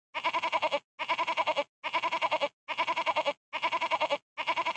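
A goat bleats again and again, each call a quavering, nasal cry about once a second.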